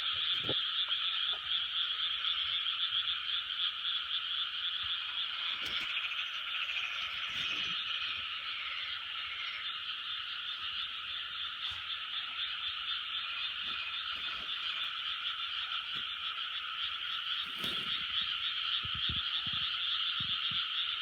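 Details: Large frog chorus from 2020: continuous overlapping croaks forming an even drone for the whole stretch, with scattered short thumps and clicks from nearby handling.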